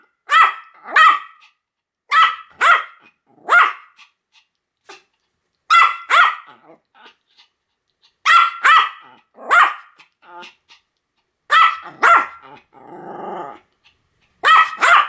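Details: Pomeranian yapping in clipped double and triple barks, bursts roughly every two seconds separated by silence, with a faint whimper near the end.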